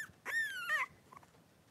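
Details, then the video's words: Three-week-old blenheim Cavalier King Charles Spaniel puppies, five in a litter, wrestling and playing in an indoor puppy pen; one high, drawn-out whining squeal with a slight waver lasts about half a second, then a short follow-up yelp and faint soft squeaks. "3-Week-Old Cavalier Puppies Wrestle and Play Live"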